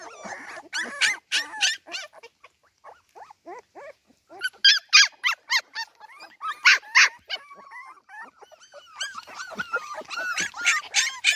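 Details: Cardigan Welsh Corgi puppies in the garden by themselves without their mother, bursts of sharp high yelping separated by softer whimpering, louder clusters of squeals near the middle and end.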